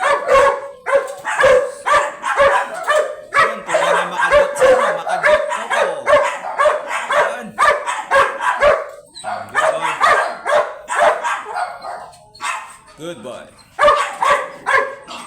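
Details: Teacup chocolate Pomeranian dog, a three-year-old male at stud service in Pugaro, Manaoag, Pangasinan, barks in rapid high yappy bursts, roughly two per second, sometimes in quick doubles, with short pauses and a few softer whines near the end.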